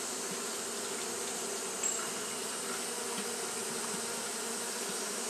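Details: Steady droning of fanning Japanese honey bees during hot weather, a thick constant buzz with stacked low hum bands and a brief faint click near the two-second mark.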